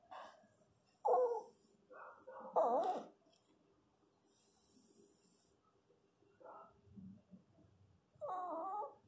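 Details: Newborn Pinscher puppies crying during a natural birth: short, high squealing whines in bursts, two close together near the start and a longer wavering cry at the end, with quiet gaps and faint low rustling between.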